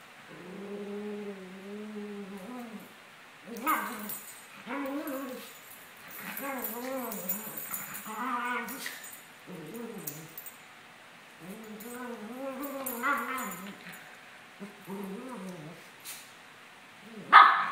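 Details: Playing together, two Maltese dogs aged 17 months, Sunny and Moony, trade arched, nasal whines and grumbly yips in rhythmic strings, with a few scuffling thumps and a sharp knock at the end.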